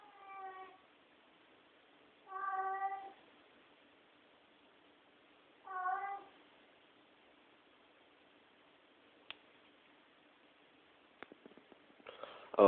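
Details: Domestic cat indoors at night in a dark room, a sound it makes every night: three drawn-out, wavering harmonic meows about two to three seconds apart, then a quiet stretch with a few sharp clicks and a loud rustle closing the recording.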